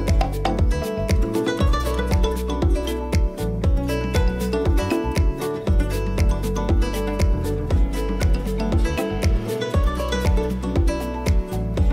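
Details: Loud rhythmic music with strong beats and plucked guitar-like notes fills the whole stretch, without any audible animal.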